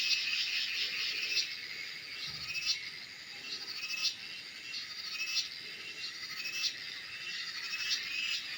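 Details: Cicada giving a steady, shrill, high buzz that swells into brief louder pulses about every one and a quarter seconds, with faint low rustling beneath.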